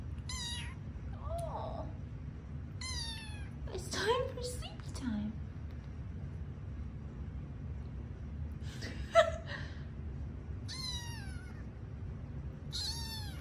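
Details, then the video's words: Bedtime for five office-building kittens, each with a different meow: high thin mews mixed with lower, softer squeaks, about seven calls spread irregularly, alongside a woman's soft voice and room hum. "Sleepy Kitten Stretches, Meows, and Yawns"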